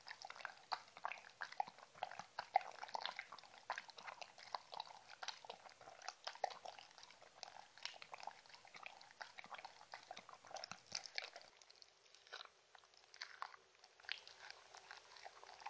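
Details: Shetland Sheepdog Mindy chewing her dog-friendly treats, giving a continuous run of crisp crunches and moist smacking clicks that thin out and soften near the end.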